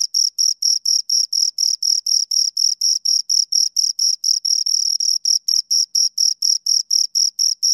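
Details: Two crickets producing a continuous train of sharp, high-pitched chirps, around four each second, slightly overlapping at times, recorded very close with no background noise.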